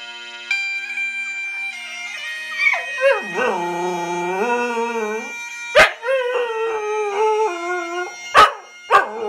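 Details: A Scottish Terrier howls along to bagpipes playing "Flower of Scotland", which it sings to whenever the tune plays. Its voice rises, dips and wavers in drawn-out notes over faint droning pipes, with a few sharp knocks near the end.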